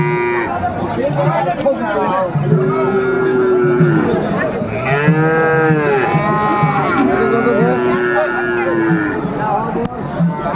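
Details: Sahiwal bull calves at a cattle market in Noakhali, Bangladesh, 23 February 2025: several long, drawn-out moos with arching pitch, rising and falling, over steady crowd chatter and market noise.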